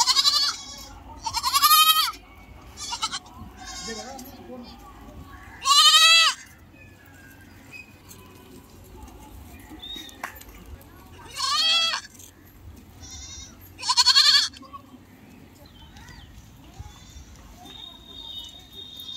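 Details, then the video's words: Goats on a farm, big goats and kids together; loud harmonic bleats in five or six separate bursts spaced a few seconds apart, with quiet background murmur between calls. "goat sound"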